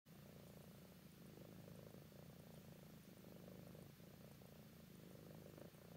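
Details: Purring of an adult female tabby cat, about 10 years old, adopted, sleepy and snuggling up to a person: a steady, low, rumbling purr with fine rhythmic pulses, continuous throughout with only slight breaks, quiet and close.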